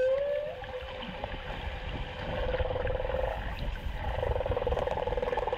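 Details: A single male humpback whale on its annual migration from Antarctica to the Great Barrier Reef, off Queensland's Gold Coast, sings loudly by hydrophone directly below the boat. A clear rising whistle gives way to moaning tones and dense, rumbling pulses, with water noise and a faint voice.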